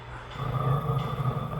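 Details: A puppy caught stealing socks growls: a low, steady rumbling growl that holds for over a second with slight wavering, while a person scolds it over the socks.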